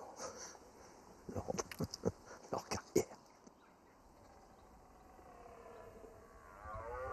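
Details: A young, not very large red deer stag (Cervus elaphus) in the forest of Compiègne in autumn gives a short series of rough, pulsed roaring grunts, lacking a mature stag's deep voice.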